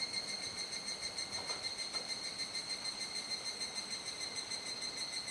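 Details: Dusk chorus of cicadas in Kuji, Iwate, Japan, recorded about 19:11–19:25 on 17 July 2017 while still in the rainy season; continuous high-pitched ringing with layered steady tones and faint regular pulsing, no other clear sounds.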